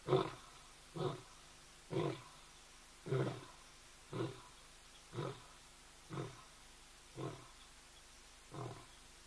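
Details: Lion at ol Donyo in Kenya, captured by a hide camera: a series of nine fairly soft, low, huffing grunts, roughly one per second. They fade slightly as the sequence ends a roaring bout.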